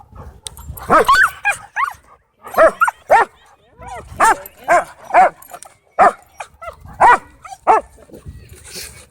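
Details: Odd vocal noises from dogs at a dog park, a run of short, tonal yips and moaning calls that bend in pitch, repeated roughly every half second to second with brief silent gaps.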